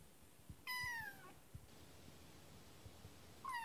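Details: Kitten named Kotetsu, newly arrived home, gives one loud falling meow with rich harmonics, then a second meow begins at the end; soft tapping and quiet room noise between calls.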